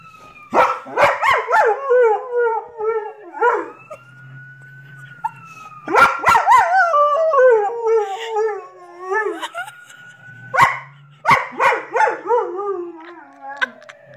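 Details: Howling with sirens, Lucy the dog, lately much more vocal, gives three bouts of sharp yelps melting into wavering, falling howls, while a steady siren tone fills the gaps between bouts.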